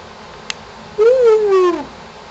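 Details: A single smooth howl from Shamus, the family dog, aimed at a contractor nearby and encouraged by his owner: the tone rises briefly then glides slowly down over about a second, after a faint click.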